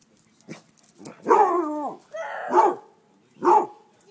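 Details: Pet Basset Hound barking at chicken thighs fresh off the grill: a drawn-out, wavering baying bark, then two short, deep barks about a second apart, in a quiet setting.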